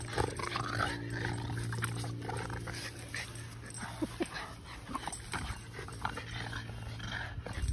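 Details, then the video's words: Two pet dogs, Sully the Boston Terrier and Kumo the Keeshond, play tug indoors; low rumbling growls run steadily under scuffling and shuffling noises, with a steady background hum. "Funny Boston Terrier And Silly Keeshond Play Tug!"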